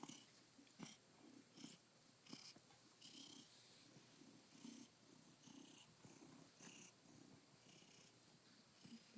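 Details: Male domestic cat purring on a window sill, happy a few hours after arriving in a new home; soft, steady rumbling purr in pulsing bursts indoors, with faint breathy rasps and small clicks.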